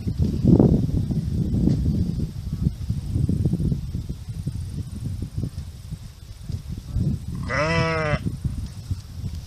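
A sheep gives one wavering, nasal baa near the end, over low rumbling background noise.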